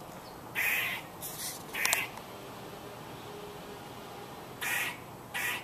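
A squirrel calls with short, hoarse, nasal bursts that sound almost like a crow's caw. Three come in quick succession, then after a quiet gap two more follow, over a soft background hiss.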